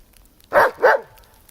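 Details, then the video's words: German Shepherd named Bear running in deep snow and barking at it, giving two quick loud barks about a third of a second apart, harmonic and mid-pitched, with little else around them. "German Shepherd Dog In deep snow ! running and barking at it"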